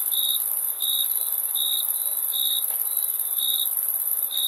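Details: Summer crickets at night: bright, piercing chirps pulse regularly over a constant high-pitched shimmering drone, with no other sounds.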